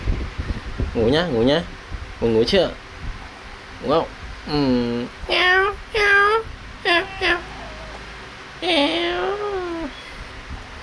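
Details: Kittens playing and feeding, giving a rapid series of high, arching harmonic mews, roughly a dozen short calls in ten seconds, some overlapping as if several kittens, in a quiet indoor room.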